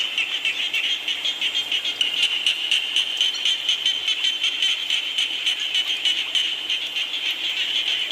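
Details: A rainfall scene with frogs in full chorus: high, grating pulses tumble over one another in an even rhythm, roughly four beats each second.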